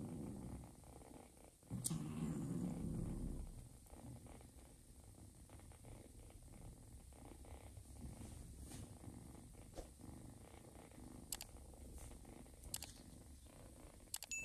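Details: Joanna the mother cat purrs while feeding a small ginger foster kitten; a louder rumbling burst early on settles into a soft, even low purr, with faint clicks and small movement noises.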